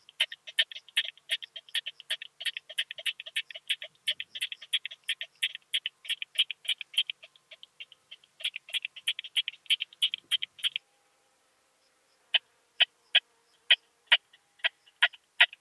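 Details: Rapid rattling pulse trains of a curve-tailed plump bush-cricket from Austria, 4 June 2021: dense clicking for about ten seconds with a short break, then silence, followed by a few widely spaced single clicks.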